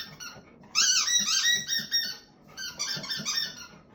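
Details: Black Labrador Retriever indoors in a small room, whining in a high, whistle-like voice that it keeps up until stopped: wavering, harmonic squeals rising and falling in two long bursts.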